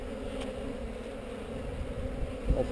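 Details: Honey bee hive on heather being inspected, eggs visible at the bottom of the comb, GoPro recording; a short stretch of deep, rumbling buzz from the colony, ending with a soft knock.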